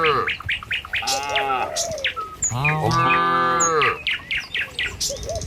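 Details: Morning in an Indonesian village as tame cattle walk a road to the pen: two long, low moos in the middle, surrounded by frequent sharp bird chirps and whistles.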